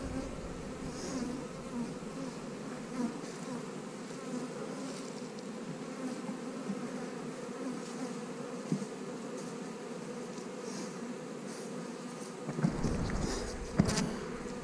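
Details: Buzzing honey bees while hives are being split: an even, unbroken drone throughout, with a burst of handling noise near the end.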